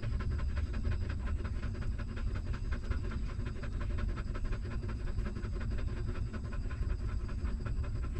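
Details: Newborn puppy nursing from its stray mother, rapid wet sucking pulses repeating evenly throughout, set against continuous deep background hum.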